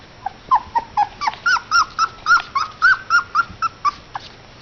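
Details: Border Collie puppies playing indoors, giving a run of about fifteen high, whining yips and whimpers, each short and rising then falling, repeated roughly four times a second with a faint electrical hum behind.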